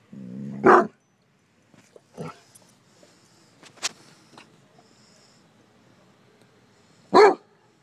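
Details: Basset hounds reacting to a bumble bee give a loud, sharp bark, then faint yelps and rustling, and another loud bark about six seconds later.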